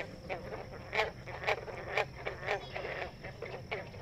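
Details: Many green frogs calling together at a woodland vernal pool in Lincoln, played back during a talk; short twangy plucked notes, each likened to plucking a guitar string, repeat about every half second over a steady hiss.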